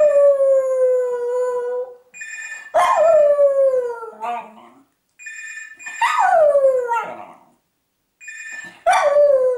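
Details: Howling of Bridie, a rescue dog at West Cork Animal Welfare, Ireland, signalling a ringing telephone: sustained then sharply rising and falling howls, each starting with a yelp-like onset, overlapping bursts of phone ringing.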